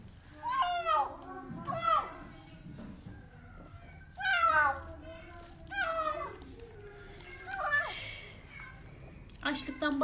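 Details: Hungry stray kitten named Portakal, just found by youngsters beneath an apartment building, crying while it eats food indoors; about five loud, wavering, downward-sliding meows in bursts roughly every two seconds, with a woman talking softly in between.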